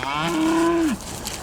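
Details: Cows in a field that won't stand still while being counted before a storm, not really hungry; one steady mid-pitched moo holds for about half a second and then drops sharply at the end, with faint outdoor background.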